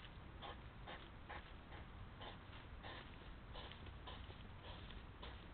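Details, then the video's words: Hedgehogs clashing at a feeding spot, quarrelling over food or females despite separate feeding places; a run of short huffy snorts repeats roughly every half second over a steady background hiss. "egel kan weer niet rustig eten"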